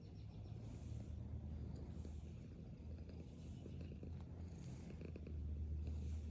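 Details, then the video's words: Black cat purring as it eats, a continuous deep rumbling drone that swells slightly toward the end, with light scattered ticks of chewing or handling. "Hanging out with my girlfriend’s black cat while she purrs and eats food"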